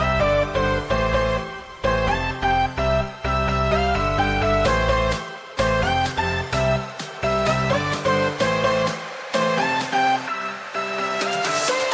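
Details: Strummed guitar background music with steady plucked chords fills the recording, and no animal sounds come through.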